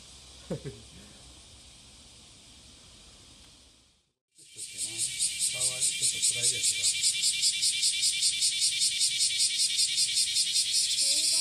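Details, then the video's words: Courtship song of a cicada, recorded at Passage de la Duee on a July 30, 2017 morning: speech, a short silence, then a loud, rapidly pulsing shrill buzz, about two and a half pulses per second, building and steady. "蝉の求愛Cicada singing to fall in love"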